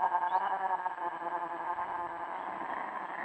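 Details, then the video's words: Wild cat during mating, giving a long drawn-out wailing yowl with rich stacked harmonics, held steady with slight wavering for about three seconds. "Wild Cat Mating"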